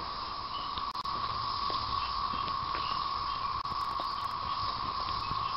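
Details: Chorus of periodical cicadas, 2011 thirteen-year emergence in spring, droning steadily but softer behind close pattering and clicking sounds, followed by a person speaking to a dog.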